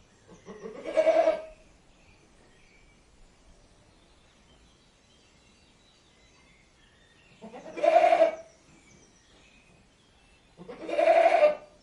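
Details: Goat giving three loud, nasal, quavering bleats, each about a second long. The first is followed by a long quiet gap, then two more bleats come close together near the end. The background is otherwise quiet.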